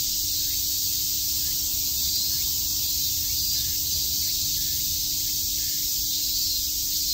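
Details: A wall of cicada sound on a summer day in Shakujii Park, Tokyo: constant high-pitched electric buzzing, unvarying in loudness, with a dull low rumble underneath.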